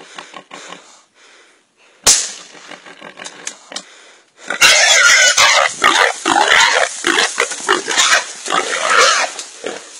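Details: Pig being encircled and suffocated by an anaconda: short broken grunts and squeaks, a sudden harsh cry, then continuous loud, rasping, high-pitched screaming.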